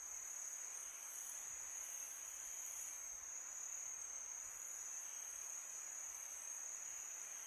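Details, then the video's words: Crickets on a peaceful summer night: a steady, unbroken high-pitched trill holds one tone throughout, beneath a soft hiss of wind spread across the whole background. "Crickets sound"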